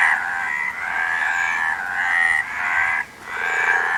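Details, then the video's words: Frogs croak in a dense, rasping, pulsed chorus, each buzzy burst lasting about a second with brief dips between, steady and loud throughout. "Frog Sound"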